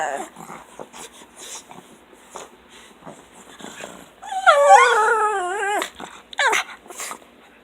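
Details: Two pugs, one fawn and the most talkative, greeting their owner arriving home from work: soft snorts and grunts, then a loud warbling, yodel-like whine wavering up and down in pitch, followed by brief squeals.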